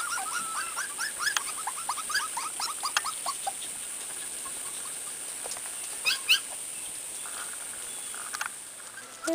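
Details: Corgi puppies from one litter, with two more puppies, outdoors for the first time: a quick run of high, squeaky rising whimpers in the first few seconds, then scattered thin squeaks over a steady hiss.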